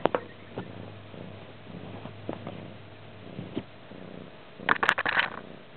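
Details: Stray cat purring in a crash pad in Manilla, 20 February 2011: a low steady rumble with soft rhythmic pulses about every second, then a burst of loud rustling and clicking near the end.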